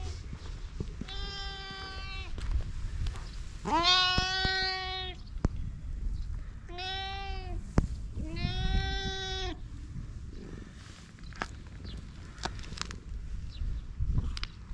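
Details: Fluffy cat in Japan giving four drawn-out, rich harmonic meows of roughly a second each, the second and fourth slightly longer, separated by short pauses, over a steady low rumble with faint clicks and taps.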